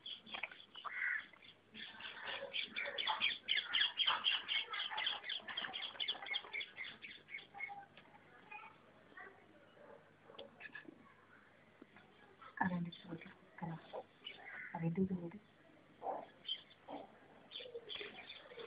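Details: Several puppies scramble and play together, letting out a dense run of high, squealing yelps and yips through the first seven seconds, then scattered shorter yips and squeaks with quieter gaps between them.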